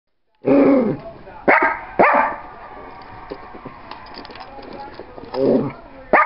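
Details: Small fat dog indoors at a big window, unable to get out the door to chase a cat, gives sharp barks: three in the first two seconds, then more near the end, with a quiet room between.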